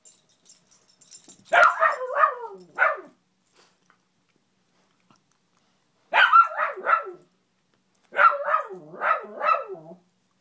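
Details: Indoor beagle named Gia, barking nonstop at a Spider-Man lamp that fell to the middle of the room, play bowing at it; three bursts of rapid harsh barks, each three or four barks, separated by silent gaps, in a small room.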